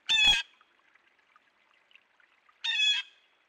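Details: A beaver at a beaver dam in central Alberta, recorded on a trail camera, gives two short, nasal, whining cries about two and a half seconds apart, with near silence between them.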